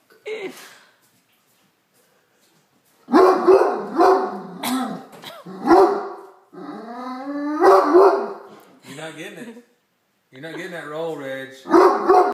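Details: Great Dane barking at a tray of dinner rolls: a burst of loud, harsh barks mixed with drawn-out whining, moaning vocal sounds, repeated irregularly over several seconds, with a man speaking in the room.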